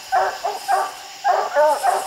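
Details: Dogs treeing raccoons on a slick, steep hillside; a short burst of a few loud barks with a pause between, ringing and slightly drawn out.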